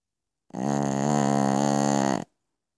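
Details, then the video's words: A single sustained snore from Piccolina the Pekingese sleeping at night. It is a rough, vibrating buzz lasting nearly two seconds, with silence before and after. "Piccolina Pekinese schnarcht in the Night."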